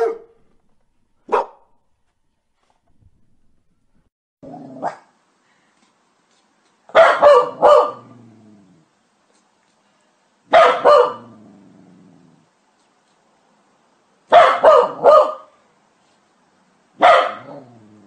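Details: Domestic dog barking angrily and loudly, one of several breeds in a compilation: scattered single barks early, then deep double and triple barks in clusters roughly every three to four seconds, with a faint growling tail.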